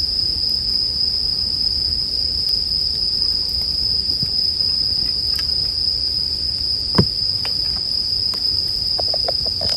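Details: Bell cricket ringing steadily at a high pitch, unwavering throughout, as a campfire crackles with one louder snap near the middle and clustered pops toward the end.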